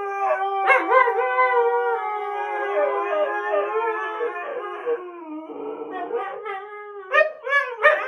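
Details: Pet Siberian Huskies Sookie and Jaxx trade howls, each trying to have the last word; long mellow howls slide and waver downward, dip lower around the middle, then break into short rising yelping notes at the close.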